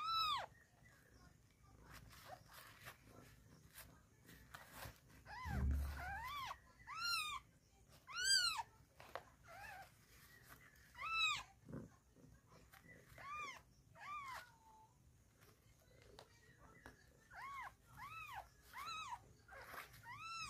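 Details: Newborn kittens with their mother cat Chhumpu in the morning, giving thin, high arched mews in irregular bursts, some overlapping, with low room noise and occasional faint voices between calls.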